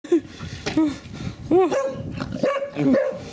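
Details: English Springer Spaniel named Daisy, a mother, barking to get her son and daughter to play with her; four or so high, arched, yelping barks come at irregular intervals over busy background noise.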